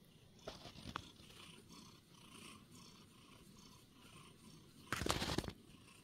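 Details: Female tuxedo cat on a freshly made bed in the morning, showing affection: a steady, low rumbling purr pulses through most of the recording, ending with a brief loud rustling burst.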